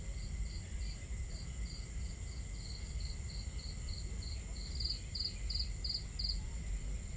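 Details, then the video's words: Crickets chirping at night in a camping setting, a steady train of short bright pulses roughly three each second, growing louder toward the end, with low fire crackle and water murmur beneath. "Camping Ambience On A Starry Night | Crackling Fire, Crickets, Water Sounds"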